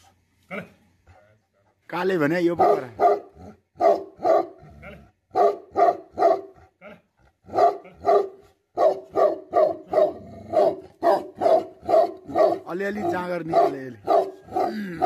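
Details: Tibetan Mastiff (Bhote Kukur) barking angrily, an opening harsh howling burst followed by a long steady series of loud, deep barks, roughly two each second, continuing without let-up to the end.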